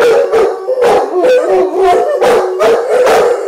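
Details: Two Giant Schnauzers singing together, a run of short wavering howls in a mid pitch, each note broken by breathy yelps, coming roughly three times a second with hardly a pause.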